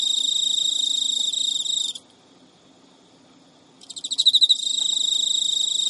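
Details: Male Emma field cricket, a captive pet, courting an unreceptive female in Japan at midnight, early September 2011; continuous high trill broken by a two-second pause, then resuming with several loud pulsed chirps before the steady trill.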